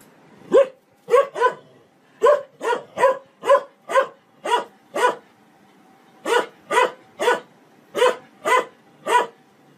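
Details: Domestic dog barking insistently in rapid bursts, about seventeen short loud barks with a brief pause in the middle, indoors-sounding and otherwise quiet, taken from a funny barking compilation.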